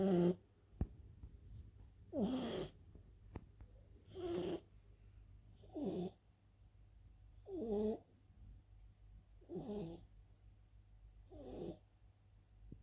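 A French bulldog snores in loud, rough, rattling breaths, each about two seconds apart.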